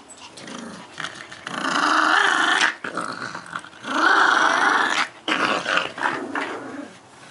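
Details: A dog growls during play with a red bone, giving two long rumbling growls a few seconds apiece, separated by short breaks and trailing into softer grumbles; the setting sounds like a small room.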